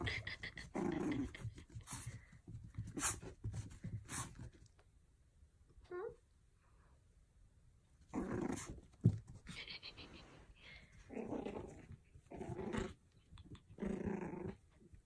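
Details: Mischievous Pomeranian puppy indoors, giving low rumbling growls in short bursts with sharp clicks and thumps between them, a few quieter pauses, and faint background voices.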